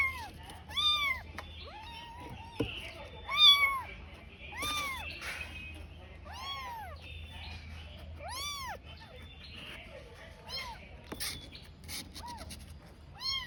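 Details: Tiny kitten crying while searching for its mother, left alone; a string of clear, high arched meows, each rising then falling, repeated roughly every two to three seconds, with a faint low hum beneath.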